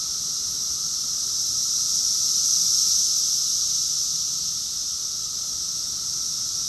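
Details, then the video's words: Summer chorus of cicadas in Rockville, Maryland, USA, recorded June 2021: a dense, steady high-pitched hiss that swells gently to a peak at mid-clip and then eases off, with no other sounds standing out. "Cicada's chorus song"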